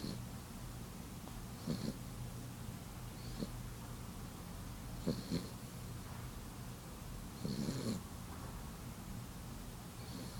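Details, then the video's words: Sleeping cat snoring: soft, breathy snores recurring about every two seconds, some louder than others, over a steady low hum. "Snoring abby"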